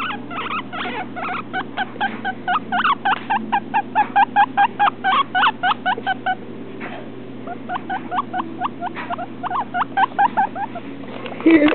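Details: A young male guinea pig, let out to walk on the floor for the first time, gives rapid short, slightly rising squeaks, three or four per second, pausing briefly then resuming; he also does this when petted, and the owner is unsure whether it means he likes it.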